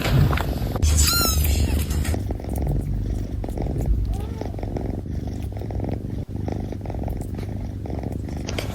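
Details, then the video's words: Kittens drinking milk: a dense, fast run of wet lapping and suckling clicks that goes on steadily throughout, with a brief high mew near the start. "The sound of kittens drinking milk."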